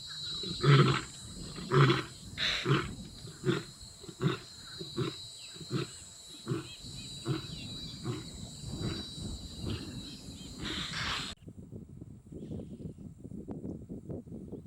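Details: Lions on Blue Canyon Private Game Reserve in summer, two Madrid pride young males learning from their fathers: a series of deep grunting roars pulsing roughly once a second, fading out toward the end, with a steady high insect hum behind.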